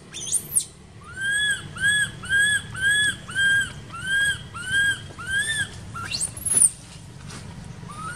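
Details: Baby monkey in an archaeological park, crying while neglected by its mother: a run of about nine clear, arched, whistle-like cries, each rising then falling, repeated roughly every half second, framed by a sharp high squeal at start and end over low rumbling background.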